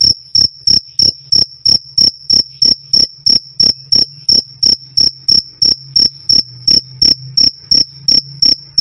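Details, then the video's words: Loud, clean cricket song: crisp, shrill chirps repeated evenly about three times a second throughout, each a short high pulse, against a quiet background. "Suara Jangkrik "Krik Krik" Keras Dan Jernih"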